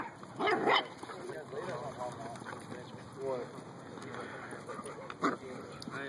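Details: Puppies whining in a string of high, wavering cries that bend up and down, with human voices talking over them and a louder yelp near the start.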